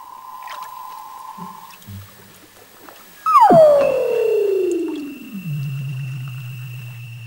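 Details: Under Antarctic ice, a seal mother's melody of whistles and low sounds, an increasingly urgent call for her pup to dive: a flat whistle, then a sudden steep downward glide sinking into a low buzzing drone beneath a held high tone.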